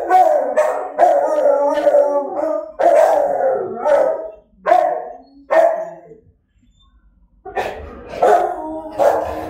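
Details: Several dogs howl in drawn-out, wavering tones, broken by short sharp barks, with a brief silent gap before the howling resumes.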